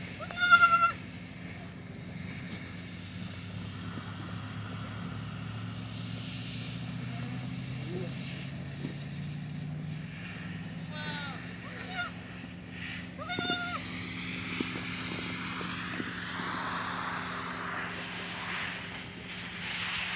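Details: Baby goat kid playing, jumping onto a tree stump, launching off it and running around; a few short harmonic bleats near the start and around thirteen seconds, over steady low outdoor rumble and faint background noise.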